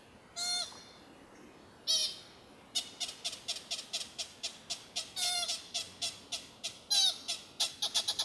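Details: At sunset, an American pika near Carpenter Mountain fire lookout in H.J. Andrews Forest, Oregon, gives short, nasal, squeaky bleats, first singly, then in quick repeated series.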